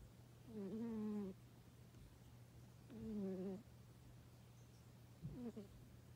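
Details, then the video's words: Snoring cat producing low, buzzy, voiced breaths about two seconds apart, the third one short and clipped, with a constant hum beneath. "Cat snoring"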